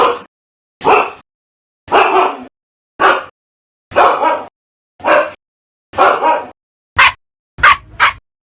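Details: Dog barking aggressively, a steady run of nine sharp barks roughly one per second, the last few shorter and higher, yelping, with silence between them.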